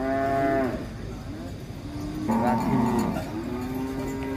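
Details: Cattle unloaded from a truck at an Indonesian cattle contest: a strong sustained moo that drops off, then a second long, wavering moo, over crowd chatter and low background rumble.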